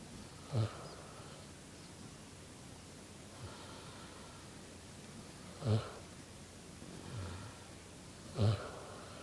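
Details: Vietnamese pot-bellied pig asleep on the grass, snoring: three loud, low, rasping snorts about every two to three seconds, with softer breathy exhalations in between.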